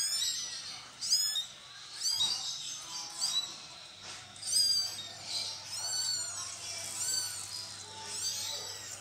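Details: Cats during a mother cat's moving of her kittens: a run of thin, very high, rising-and-falling squealing mews, repeated in uneven bursts about every second, with a faint low hum underneath.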